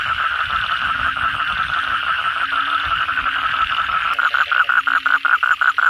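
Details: After a night of heavy rain, many kodok bangkong toads call. A dense, blurred chorus with low repeated croaks is heard first. Loud, distinct buzzy pulses begin after four seconds, nearly three per second.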